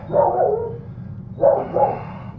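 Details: Female Doberman Pinscher puppy, smallest of her litter, a holdback that bites hard and won't let go, giving two short rough barking bursts about a second apart, mid-pitched and slightly growly, in a quiet room.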